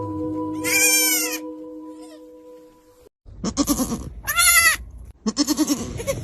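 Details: ['A young goat kid bleats in short, wavering, nasal cries. One comes near the start, then more bursts follow after a pause. Steady humming tones run under the first part.']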